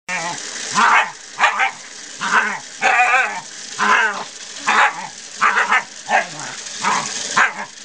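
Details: Scottish Terrier, a Scottie, barking in a front yard when a person uses a hose and nozzle; short sharp barks in quick bursts, roughly one or two every second, with a harsh, slightly yelping edge.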